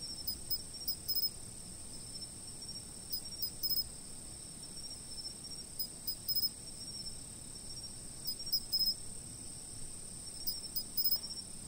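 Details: Insects calling at a fixed camera position: a continuous high-pitched ringing tone with clustered, clicking chirps every one to two seconds, set against a gentle low murmur of background noise.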